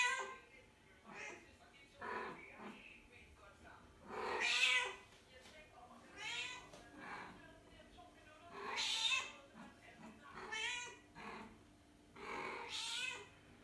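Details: Mother cat calling for her kittens, born outdoors: a series of drawn-out, wavering meows rising and falling in pitch, some strong and some fainter, spaced a few seconds apart, with soft background voices.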